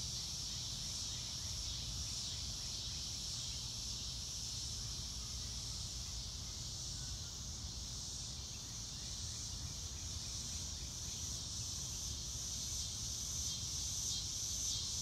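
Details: Crickets outdoors on a clear day, their dense high-pitched trilling forming a continuous shimmering band over low rumbling wind or environmental noise.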